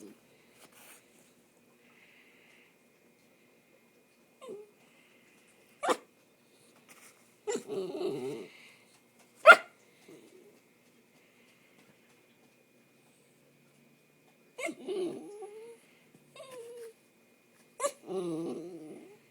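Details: A male dachshund gives short nasal whines when not given enough attention, between sharp sneeze-like bursts during allergy season.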